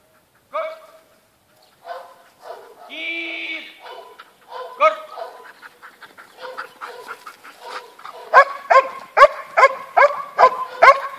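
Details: Belgian Malinois puppies from a Romanian litter sired by Brutus von house nichita: scattered soft yips and a brief tonal squeak early on, building into a run of sharp, evenly spaced barks about twice a second near the end.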